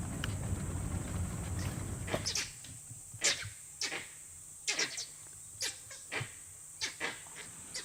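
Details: Langurs perched in trees at Barnawapara give loud, abrupt alarm barks roughly once a second, signalling a hidden danger (possibly leopard, wild dog or python) that fades as the threat passes; steady insect drone, low rumble early on.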